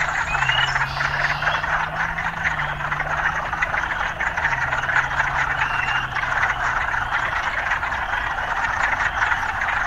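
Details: A continuous buzzing frog chorus in the city, with a steady low engine drone underneath for the first seven seconds and occasional faint rising whistles.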